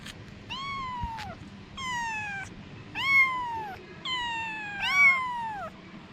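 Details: Domestic cat, a mother with her kittens, giving five clear meows, each a rising-then-falling wail lasting under a second, spaced roughly every second, over quiet low background hum.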